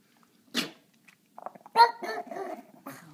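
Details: Pixie, a pet dog, indoors at dinner time, earlier than usual: one sharp bark, a pause, then a burst of short harmonic yelping vocalisations with a quiet room around it.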